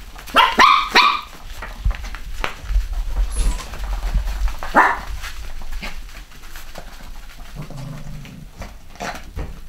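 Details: Young Cavachon pups, a Cavalier and Bichon cross, from a 2015 UK litter. A quick cluster of bright yaps opens, then a single louder yap follows after a pause, with low rumbling handling noise beneath.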